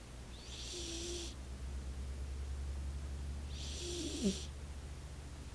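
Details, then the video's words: Roxy the cat asleep and snoring: two breathy, hissing snores about three seconds apart, the second closing with a tiny squeak, over a low steady background hum. "roxy snoring..."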